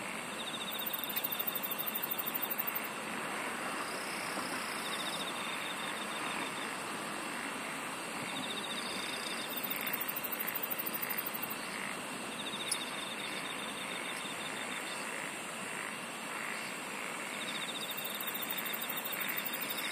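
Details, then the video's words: Insects sing in a layered chorus: very high trilling bursts come and go every few seconds above a steady mid-high pulsing drone and a constant background hiss, with one sharp click midway. "SINGING OF INSECTS"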